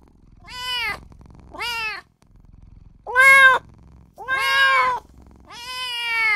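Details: Small newborn kitten crying out for its mother and owner. Five insistent mews rise and fall, growing louder and longer toward the end, with low rustling in the short gaps.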